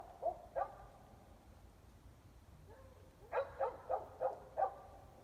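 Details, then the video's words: Dogs barking at night, 8:00 pm on 5 February 2020, in Emmett, Gem County, Idaho, about 400 feet away and mostly indoors; two distant barks, a pause, then five quick barks in a row over a low background hum. "3+ Hours of Barking Dogs"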